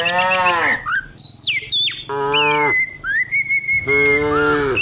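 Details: Morning herding of dozens of cows down a hill in the countryside; three strong moos, the first sliding downward, separated by short pauses, with a long bird whistle and scattered chirps in between.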